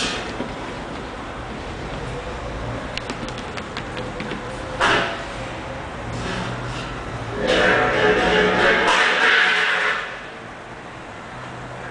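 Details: Background music plays throughout with some speech over it, and no animal voice stands out.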